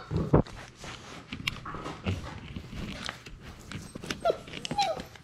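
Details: Six-week-old Labrador Retriever puppies, a litter of six, playing together indoors in a small room; brief high whimpers and squeaks rise over chewing, scuffling and mouthing noises.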